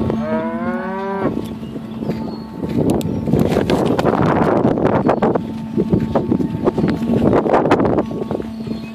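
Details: Dairy cows of mixed Pinto, Jersey and Holstein breeds being herded to milking on an Idaho dairy; one clear drawn-out moo with stacked harmonics opens, followed by loud shuffling, clattering and machinery hum.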